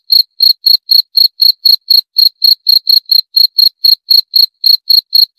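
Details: A cricket gives a continuous run of sharp, high chirps at a brisk, regular pace of about four per second; nothing else is audible.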